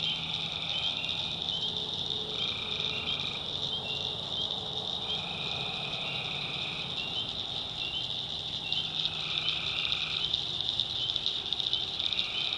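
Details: Night chorus of tree frogs in a North Carolina backwoods swamp, with a constant shrill high-pitched trill and lower buzzing notes starting and stopping in bouts of one to two seconds, some overlapping.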